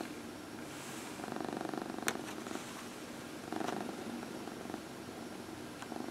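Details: Steady rumbling purr from a domestic cat receiving a massage, close and unbroken, with a sharp click at about two seconds and soft rubbing noises laid over it.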